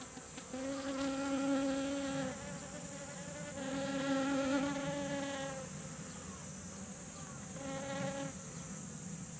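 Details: Honeybees foraging for nectar on garden kumquat blossoms, swarming together. Three loud, rich buzzing swells come as single bees fly past close by, each lasting about two seconds, over a fainter background hum and a steady high hiss.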